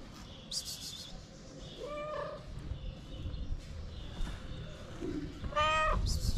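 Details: Feral stray cats wanting food, with a few short meows spaced apart over steady low background rumble and scattered clicks; the last meow is the loudest and clearest.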